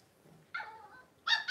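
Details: Blenheim Cavalier King Charles Spaniel puppies, a litter of five born on New Year's to Paris and Spike, in an indoor puppy pen on 26 January 2023; a drawn-out high whine slides downward, then a short sharp yelp follows after a brief quiet pause.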